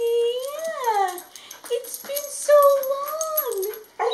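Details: Solo, a year-old male Border Collie, cries whenever a former housemate visits, about once a week. Several long, high, wavering whines rise and fall in pitch, drawn out with short breaks between them.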